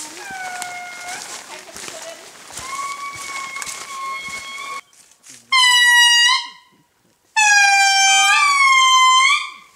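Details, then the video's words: Indri (Indri indri) in eastern Madagascar giving long, horn-like wailing notes, each held steady then swelling slightly upward. "The Call of the Indri - Eastern Madagascar HD"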